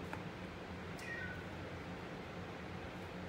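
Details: Choco, a male orange-and-white pet cat, comes over hungry and rubs against feet, pressing for his food; one short, soft rising meow partway through, over a steady indoor hiss.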